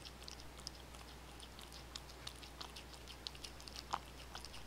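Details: Indoor cats crunching dry kibble and wet food, bonito flakes included; crisp cracking bites and lip smacks scattered through the clip, one louder crunch near the end, over a steady low hum.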